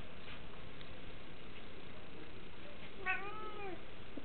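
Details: Pet cat inside a house in DC during winter 2010 gives a single short, arching meow late in the recording. Before it there is only a low, steady household hum.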